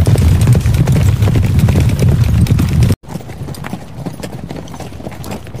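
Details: Hoofbeats of a horse in riding, racing and gallop scenes: loud, heavy low pounding in fast rhythm for three seconds, an abrupt break, then quieter, scattered thuds and knocks.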